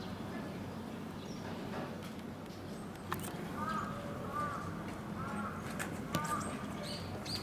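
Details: A tufted capuchin, one of a pair at Omiya Park Small Zoo, gives short, arched whistled calls repeated about once a second over low crowd murmur.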